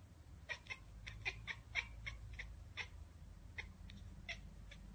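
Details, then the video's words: A cat spotting a bird or insect out of reach makes a rapid stuttering ekekeke chatter: about a dozen short, clipped pulses in five seconds, some bunched and others spaced, against a faint steady background rumble. "Cats Ekekekeke Compilation - Cats chattering at birds!"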